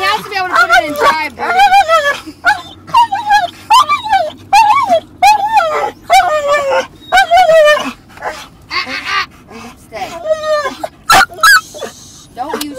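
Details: Dog barking in a funny way inside a car while another dog moves around; a string of short, wavering, whine-like barks with bending pitch, several per second, with brief gaps and some possible voices.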